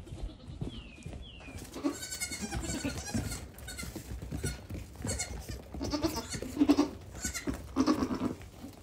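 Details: Young goat kids, one day to one week old, among fifteen newborns on a farm, walking up to the camera and playing; several wavering, harmonic bleats rise and fall over a background of rustling, footsteps and handling noise, with a few sharp whistled notes.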